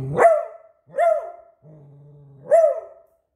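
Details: Domestic Beagle barking at a squeaky toy it keeps watching, three ringing, ear-splitting barks within three seconds, the last preceded by a steady low growl that swells into it.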